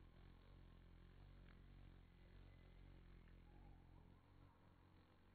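A bumblebee's low, steady droning buzz hums through the whole recording.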